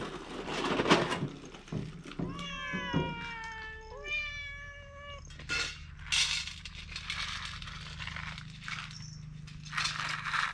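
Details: Two pet cats at dry food. One gives a pair of long, wavering meows back to back, each gliding slightly downward, amid kibble crunching and a low steady hum.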